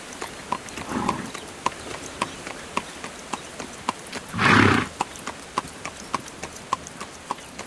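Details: Carriage-pulling horse trotting with crisp, evenly spaced clip-clop hoofbeats; a soft breathy swell early on and a loud, noisy half-second blow midway through.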